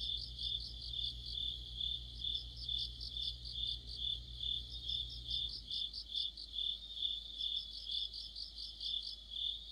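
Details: Autumn night chorus of crickets and other insects, high continuous trill plus pulsed chirping repeated about twice per second; a low hum stops partway through, leaving the insects clearer.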